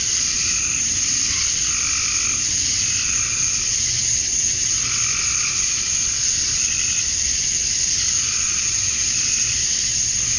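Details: Male cicadas calling to attract females during summer dusk in Georgia, USA: a continuous piercing buzz, overlaid by a lower pulsing call repeating about once a second throughout the ten seconds.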